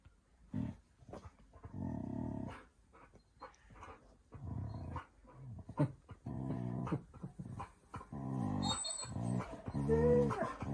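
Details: Siberian Huskies arguing and being dramatic at home on a cosy night in; low, rumbling growls and grumbling vocal bursts rise and fall in uneven runs, with a higher whining note near the end.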